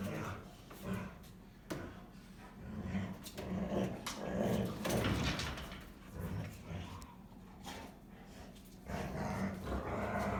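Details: Two Rottweilers playing together and growling and barking at each other in mock argument, giving low rumbling growls in irregular bursts with occasional sharper barks.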